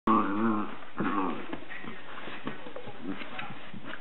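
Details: Dachshund; growl; keeping another dog off her bed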